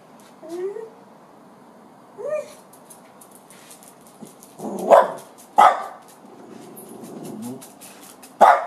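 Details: Dachshunds barking after finding a ringtail possum: two high, rising whines early on, then three loud, sharp barks a second or more apart, with a low murmur between them.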